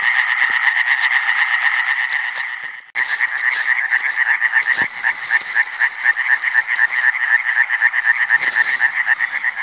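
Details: Iberian tree frogs (Hyla molleri), recorded in 2017, calling in a dense chorus of fast raspy pulses at a steady mid pitch, about four per second, with a short break near three seconds and a few clicks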